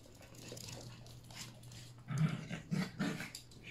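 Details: Yorkshire Terrier puppies, three together at play with Pepper and Mommy; after a quiet start, three loud, low growling snarls follow each other about half a second apart, over a constant low hum.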